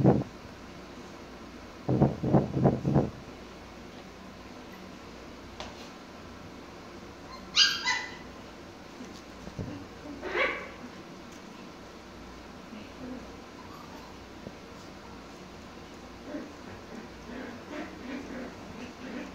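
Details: Pomsky named Mikey playing with his toys: a quick burst of four low, rough barks early on, then scattered sharper yips and brief high whines spread through the rest, with quiet pauses between.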